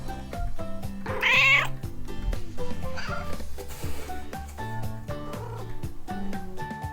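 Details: Pet cats, a Munchkin and two Maine Coons, giving a single loud drawn-out meow early on, then a fainter short mew, with continuous music playing underneath.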